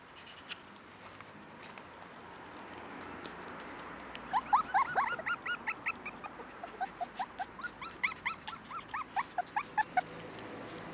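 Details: Five-week-old Cairn Terrier puppies (Canis lupus familiaris), born 28 June 2015, give a run of high, thin yelps and whimpers after a quiet start.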